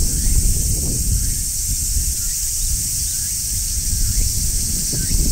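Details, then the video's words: Large brown cicada in midsummer, singing from a tree: unbroken sizzling high drone, accompanied by dense low rustling and wind-like rumble close by. "Cicadas Sounds | Cicadas Singing in Midsummer | Large Brown Cicada"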